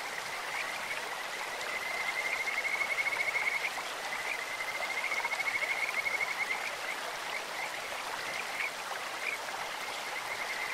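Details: Kajika frogs calling at a clear stream, their voice said to resemble a bird or insect: repeated high, rapidly pulsing trills of steady pitch come in several long bouts, with steady babbling water throughout.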